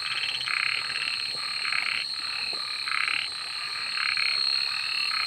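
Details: Frogs calling at night: harsh, broad croaking bursts come roughly once a second in an uneven rhythm over a steady, high, ringing insect drone that runs throughout.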